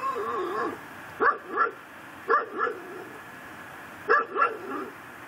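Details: A pit bull tied to a post in a yard in Chalmette, Louisiana, around midnight on December 24, 2012, barking day and night; gruff barks come in quick pairs, three doubled bursts about a second apart, over a steady background hum.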